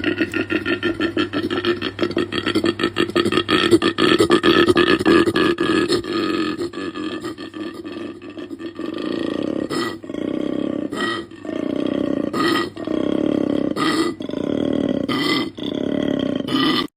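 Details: Koala calling to communicate with others or to draw a female's attention. A fast, raspy, belch-like grunting series runs for about eight seconds, then breaks into separate rasping bursts about once a second until the end.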